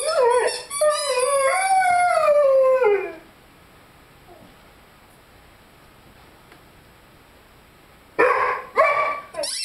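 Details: Five-month-old Rhodesian Ridgeback Lyle howls with his squeaky chicken toy. A wavering howl rises and falls for about three seconds before near silence, then short, harsh squeak bursts close the stretch.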